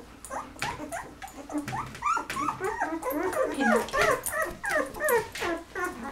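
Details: From a litter of eleven 13-day-old Golden Retriever puppies whose eyes are just opening, a dense run of quick bent-note squeals and whimpers, roughly three per second, several pups overlapping in a small room.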